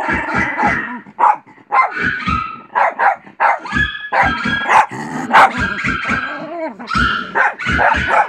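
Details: ['Pet dog barking at dogs barking on television; rapid sharp barks in quick bursts, several per second, mixed with other barks and voices from the TV soundtrack.']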